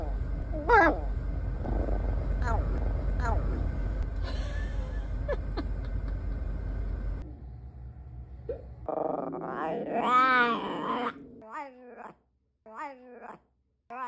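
A Bichon Frise makes odd, squeaky whines and short yips over a low background rumble.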